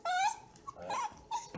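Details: Vocal male Bluetick Beagle puppy indoors in a small room: a brief, high, bending whine followed by two shorter whimpering notes, all within under two seconds.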